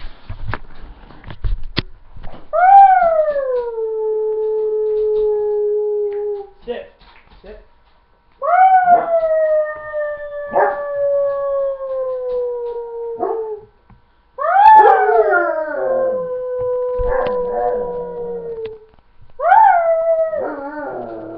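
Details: Pet dog howling on its owner's spoken command to speak: four long tonal howls, each starting high, sliding down and holding steady, separated by short pauses, with faint clicks and handling noise at the start.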